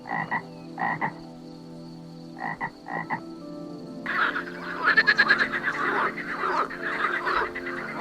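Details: Frog croaking: a few short grating bursts in pairs during the first half, then a dense, continuous rasping chorus of overlapping croaks, over a faint steady background hum.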